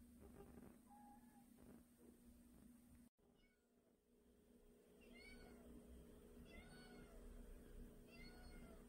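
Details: Indoors, one of a household's two pet cats (a white male and a tabby female) meows three times in quick succession, each call short and arched. A person calls the cat's name before the meows, over a constant low hum.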